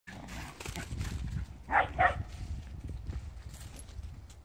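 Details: Blue merle Shetland Sheepdogs, three brothers living in the countryside, two running about while another lies waiting; two short sharp barks a quarter second apart, over low rumbling noise.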